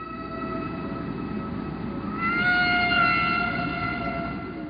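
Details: A humpback whale's song unit is held as a steady, reedy tone rich in overtones, rising a little midway before easing off, part of long repeated song sequences; underwater rumble and hiss fill the low end throughout.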